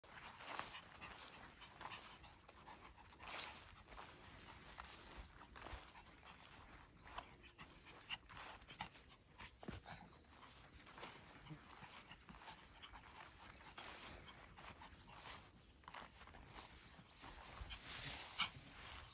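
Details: Spitz dogs out walking in the village of Zagarino on 15 July 2021 pant in quick, breathy bursts, with rustling footsteps around them.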